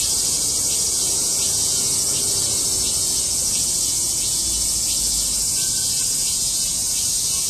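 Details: Many cicadas singing together in August 2008, a dense, shrill, continuous high buzz with faint rapid pulsing that fills the whole recording without a break.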